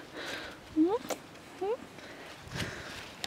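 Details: Small miniature goat kid named Petite Pelotte trotting along to reach her mother for suckling, a mother who accepted her late; two brief, quiet upward-sliding bleats close together, soft footsteps and a coaxing woman's voice around them.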